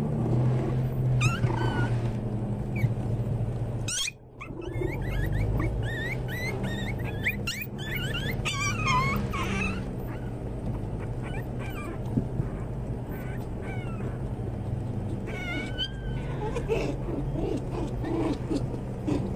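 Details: Several Pomeranian Toy Spitz (Volpino) puppies whimpering: rapid, thin, bending squeals in clustered bursts, busiest from about four to ten seconds, then sparser cries, with a constant low hum and brief handling noises.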